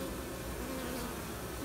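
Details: Bees on the comb while a new queen is checked, some seeming ready to take off. A steady droning buzz holds evenly throughout, with a faint higher whine near the end.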